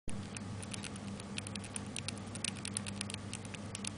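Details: Pet hamster, recorded 29 May 2005, probably eating pellets: rapid irregular crunchy clicks and crackles, several per second, over a steady low indoor hum.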